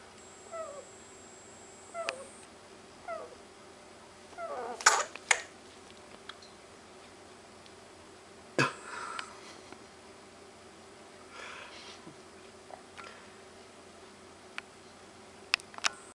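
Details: Guinea pig asleep gives a few faint falling squeaky snores, then wakes with a sneeze: a sharp, sudden burst near the middle, another hard burst soon after, and small clicks and snuffles near the end.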